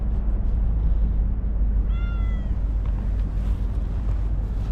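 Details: A chatty stray cat lets out a single tonal meow that arches gently then falls, lasting about half a second, against constant low-pitched background rumble with faint distant sounds afterward.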